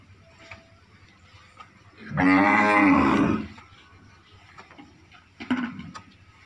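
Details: Red Sindhi breed cow, a purebred dairy animal in second lactation, lets out a single strong, harmonic moo lasting about a second and a half while being milked, then a short faint noise; quiet background otherwise.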